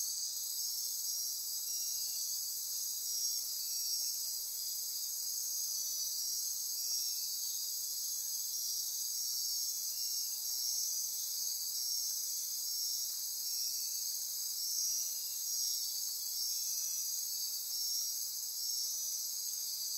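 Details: Rainforest insects calling at night near Corcovado National Park, Osa Peninsula, Costa Rica; an unbroken high hissing trill with pulsed ratcheting, plus brief mid-pitched buzzy notes repeating every second or two.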